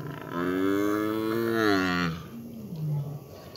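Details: White tiger at The Big Cat Sanctuary giving a cow-like call: a drawn-out, deep, harmonic moan of about two seconds that swells slightly and then sinks, followed by a shorter low grunt, with laughter just before.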